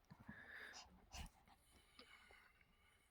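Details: Sinbori, a pet poodle, plays with a favourite stuffed toy indoors. Short low rough growl bursts and a wheezy breath, with a faint thin whine near the start. Scattered chewing and handling noises follow.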